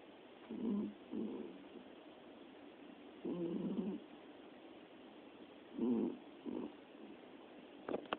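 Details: Sleeping domestic cat, one of three napping together, snoring softly: low raspy breaths in pairs of short bursts separated by quiet gaps of about two seconds, with faint clicks at the very end.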